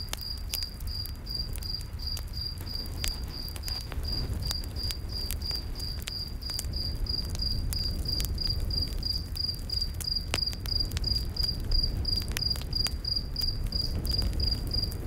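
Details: A cricket calls at night in a forest while a campfire burns: evenly spaced high chirps about three per second run throughout, over crackling, popping fire and a low continuous rumble.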